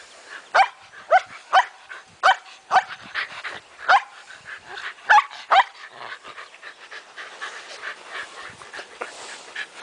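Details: Playing Shetland Sheepdogs, a group of females chasing a ball, give about ten quick, clipped barks over six seconds. Quieter scuffling and softer yips follow as the barking fades.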